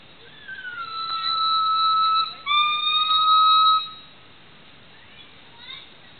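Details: Black male gibbon calling alone: two long, loud, pure whistled notes, the first sliding down then holding steady, the second rising and sustained, ending with faint short whistles.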